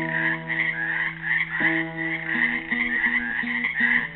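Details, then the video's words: In a pool at Helix, Oregon, frogs trapped there on Earth Day 2016 give a loud, pulsing high croaking chorus that swells and dips, with softer repeated classical guitar notes underneath. "GUITAR AND FROGS SINGING"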